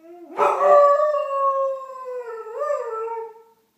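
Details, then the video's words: Indoors at 8:30 am, a Doberman howls along with far-off fire engine sirens, captured on an iPhone: a loud sustained howl that slowly sags in pitch, with a brief upward wobble near the end before fading. "Doberman howling along with fire engines"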